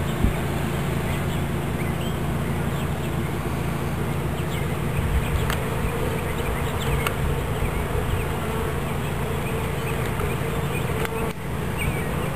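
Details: Swarm of bees in Watkinsville, Georgia, being gathered into a new hive body; a continuous low droning hum of countless wings, with faint clicks and light handling noises scattered through.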